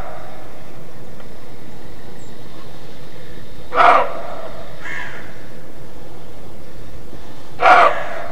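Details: Roe deer in Mecklenburg-Vorpommern, Germany, giving the barking call hunters call "Schrecken", made all year round: two loud, harsh, hoarse barks about four seconds apart, with a fainter bark between them, over a steady low background hiss.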